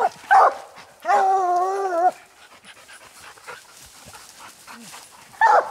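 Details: Coon dogs Lucky (old), Mossie and year-old Star on a raccoon hunt, treeing a ringtail: a sharp bark, then a drawn-out, one-second bawl with a rich harmonic tone, a quiet pause, and another bark at the end.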